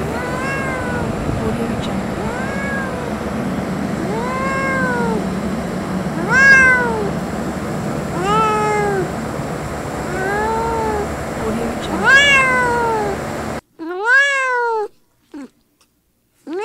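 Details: Little kitten outdoors in nature meowing repeatedly, a clear arched plaintive mew roughly every one and a half seconds over steady hiss, ending with a few louder, sharper mews after the background drops away.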